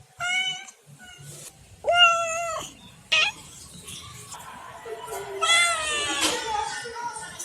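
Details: Pet domestic cats meowing: three clear, tonal meows, each under a second, with a brief higher call between them and a drawn-out final meow that wavers in pitch. Soft rustling and household noise sit between the calls.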